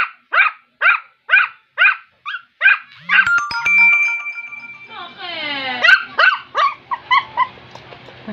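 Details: A rapid series of shrill yaps from Rum, a two-month-old Shih Tzu puppy, breaks off for a squeaky, drawn-out tonal wail and whining slides, then returns to quick high barks.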